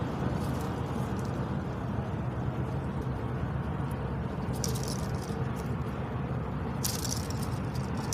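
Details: In Laos, Southeast Asia, a water buffalo flaps its ears, making brief, sharp, percussive rattling slaps over a steady low rumble.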